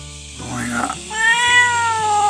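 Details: Domestic cat at a seaside home in Japan, wary of the camera as a man reassures it; a clear, sustained meow with a steady tone after a brief softer rising call, over background music.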